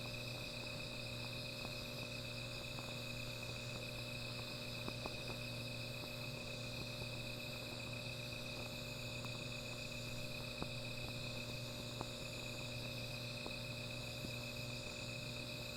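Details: Night insects calling beside a small fire: a steady, unbroken high-pitched ringing chorus, with a constant low hum beneath and scattered faint clicks and crackles.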